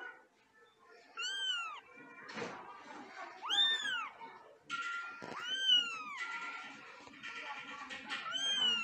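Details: Angry domestic cat, Luna or Simba, uttering a series of sharp arched meows that rise then fall, several in quick succession, with music playing and some noisy scuffling between calls.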